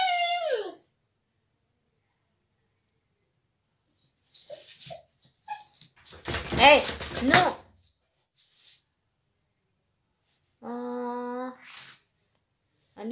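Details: Dog kept out of the salon during a visitor's stay, crying: a short falling whine, then a person talking briefly, followed after a gap by a long, steady, nasal whine held for about a second.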